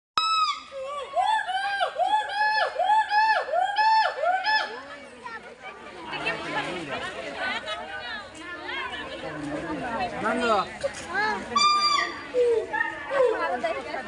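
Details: Gibbon, described as brought from Africa, at the National Zoo in Dhaka, its call said to resemble a human voice. A rhythmic series of tonal whoops, each swooping and dipping, repeats for about five seconds, then crowd chatter and voices take over.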